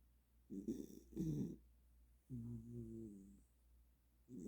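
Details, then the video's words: Welsh Corgi in deep sleep after burning off energy, snoring softly: rough, rasping breaths in short bursts, then a longer drawn-out nasal tone, with quiet pauses between. "웰시코기 ◇코골이수술해야되나~ㅋㅋ 에너지폭발후 꿀잠"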